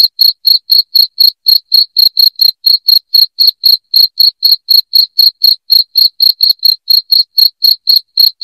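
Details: Shrill cricket chirps used as a rat deterrent at home: high, pure pulses repeated rapidly, about four each second, over a silent background.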